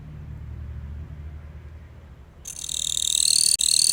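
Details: Singing Gampsocleis katydid in captivity: after quiet low hum, an abrupt shrill, dry buzzing trill begins and continues, briefly breaking once near the end.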